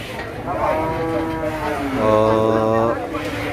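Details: Agitated cattle at the Masbagik animal market in NTB, open three days a week; long harmonic moos, one rising then a second louder one at about two seconds, over a man speaking and market noise.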